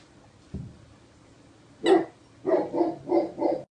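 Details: A three-month-old Great Pyrenees puppy playing alone with toys from a toy box. There is a soft low thump, then one sharp bark, then three quick, throaty puppy barks close together, with little other background sound.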